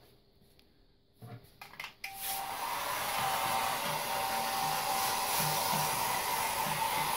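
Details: A few seconds of soft rustling and handling knocks, then a hair dryer switches on and blows with a steady, even whir for the rest of the recording in a small indoor room.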